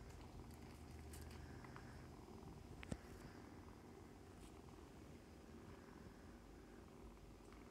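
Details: Foster kittens nursing beside their momcat produce a soft low purr that fades gradually, broken by one sharp tap near the middle and light rustling.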